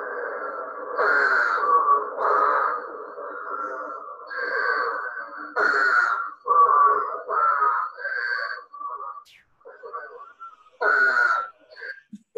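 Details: Eastern spadefoot toad, which comes out to breed after very heavy rain, giving hoarse, groaning calls likened to vomiting: roughly a dozen drawn-out, nasal retching notes, each about half a second to a second, with short gaps between them.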